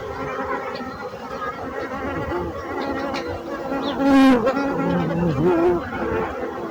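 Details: A low, broad bee hum, with a close buzz swelling loudly, dipping and rising in pitch as an insect passes near, then fading back into the drone.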